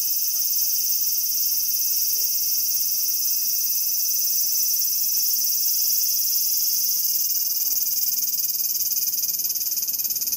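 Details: Shrill cicada buzz, high-pitched and unbroken for the whole stretch, steady in loudness with a fast, fine throb and no other clear sounds.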